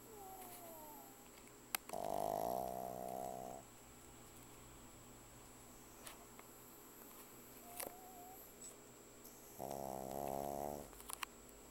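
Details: Loud snores from Vanilla the pug: two drawn-out, buzzing inhalations, each about one and a half seconds, separated by roughly seven seconds of near silence with faint squeaks and clicks in a quiet room.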